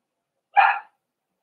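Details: Cavalier King Charles Spaniel puppy pen with four-week-old puppies, socialized with older dogs and trying puppy mash; a single short, sharp yip with bright stacked harmonics, clean silence around it.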